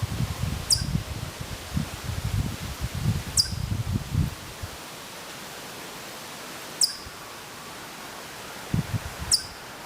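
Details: Distant Hokkaido chipmunk at Maruyama in Sapporo, Hokkaido, September 2014, giving short piercing high chips, four in all at irregular gaps of two to three seconds; low rustling noise fills the opening seconds and returns briefly near the end.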